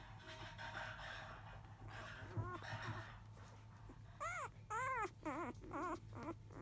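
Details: Five-day-old field-type Labrador Retriever puppies indoors, shortly after 1 p.m., while the mother dog is away eating; faint murmuring at first, then loud high whining cries rising and falling in a quick series near the end, with a steady low hum.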